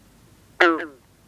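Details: A Green Frog gives a single abrupt, twangy gunk note that drops slightly in pitch at night over misty water on a humid but cool night in the 50s °F, with bullfrogs and other green frogs calling in the background.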